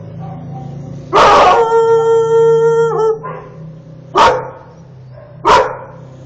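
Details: Shaved Akita Inu angry at a car parked in front of its house gives one long, steady, tonal howl of about two seconds that dips at the end, followed by two sharp, separate barks.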